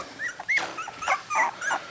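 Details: Three-week-old miniature dachshund puppies, eyes newly open, from a litter sired by a smooth red male out of a black and tan mother, give short high squeaky whimpers that rise and bend, scattered across two seconds with soft rustling between.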